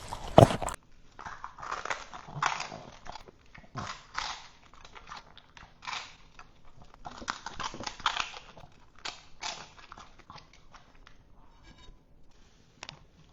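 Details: French Bulldog crunching cucumbers, heard quieter and more distant; separate bursts of crisp, juicy crunching every second or so, with soft pauses between bites and one loud knock at the start.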